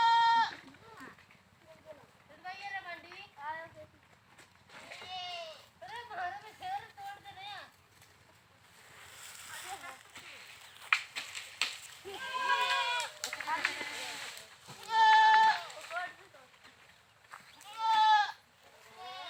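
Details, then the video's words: Goats bleating repeatedly in quavering, wavering cries of varied pitch, some long and strained, others short, spaced irregularly across the recording with a busier overlapping stretch in the middle. "Goats Funny Sounds"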